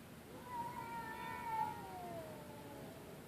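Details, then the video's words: Two cats calling to each other after midnight: a long drawn-out yowl holding steady, then sliding slowly downward, with faint harmonics over a quiet background. "Werid cats makeing noise after midnight"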